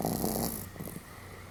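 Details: Pomeranian snoring rather loudly, recorded 31 July 2015; a short stretch of rasping, rattling breath noise that fades after the first half second into a low steady hum.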